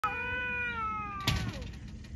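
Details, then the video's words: Domestic cat talking: one long, steady, drawn-out meow of about a second, held level and fading gently, then a sharp knock or click with brief rustling afterward. "Cats talking"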